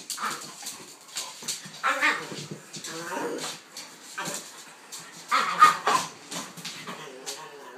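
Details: Kaiser the pitbull and Viki the King Charles spaniel at play, giving throaty, rough growling grumbles and snuffling bursts that tumble on almost continuously, with louder harsh peaks near the end.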